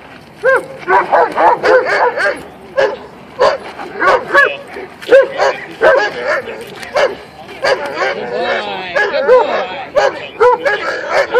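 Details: Male German Shepherd barking in bursts during attack training on 6 April 2013, learning to attack only on command; harsh, rapid barks overlap a man's commands and praise, with more barking near the end.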